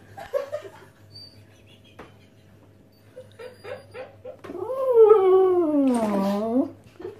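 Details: A Basset Hound, one of two begging their owner for a slice of pizza, gives a long, wavering begging howl that rises, then slides down in pitch.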